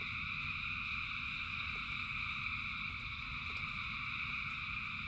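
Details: Massed frogs calling during rain, their voices merged into a constant shimmering drone of several stacked pitches, backed by steady low rain noise and an occasional sharp drip.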